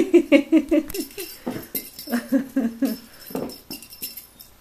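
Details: Niko, a male F6 Savannah cat indoors, gives a quick run of short, chirpy meows, then a lower, softer series, while being asked to meow and offered munchy treats.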